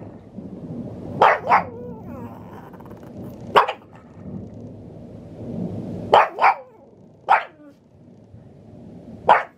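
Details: A Pug called Maria, recorded in Saitama, Japan, on 6 May 2020, reacts to thunder with a run of about seven sharp barks, several as quick doubles, separated by brief pauses over a low background murmur.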